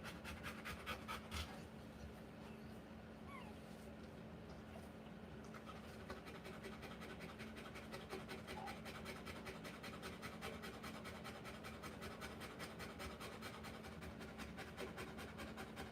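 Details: Rottweiler in labour giving birth to puppies, panting in a rapid, steady rhythm of about two and a half breaths per second through the whole stretch, soft and breathy over a constant low electrical hum.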